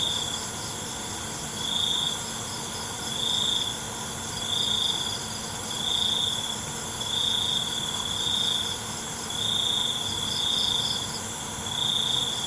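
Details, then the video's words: Crickets at night: high, shimmering trilled bursts pulse out about every 1.2 seconds over a steady, ringing insect drone, with faint background hiss. "ALUNAN CENGKERIK MALAM"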